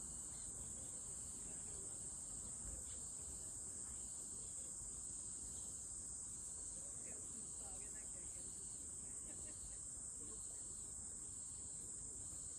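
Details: High, even buzzing of a cicada runs without pause from start to finish, a sustained hiss above quiet low-frequency background noise.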